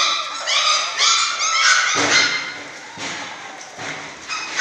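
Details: Six-week-old German Shorthaired Pointer puppies in a litter: shrill, rising yelps and squeals crowd together, followed by a rougher noisy burst and softer calls.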